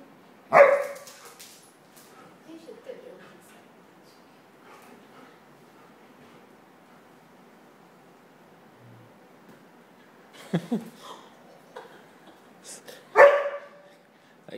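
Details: Standard and Toy Poodle at play: a single sharp bark opens, then a long quiet stretch with faint rustling, followed by a muffled scuffle and two more barks near the end.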